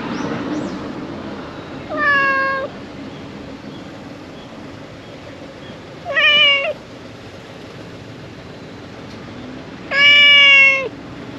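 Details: Stray brown tabby cat in a convenience store parking lot in Japan, giving three drawn-out, harmonic-rich meows spaced about four seconds apart, each slightly falling at the end, over low steady traffic rumble.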